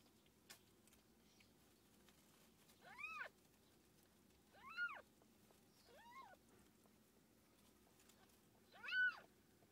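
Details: From a mother cat with kittens: four fairly soft, high, rising-and-falling mews arrive about every two seconds after a quiet start. The final call is the loudest.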